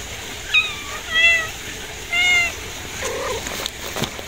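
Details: Kittens meowing: several clear, rising-then-falling mews in quick succession over the first two and a half seconds, then a softer, lower mew near the end, against a quiet background hiss.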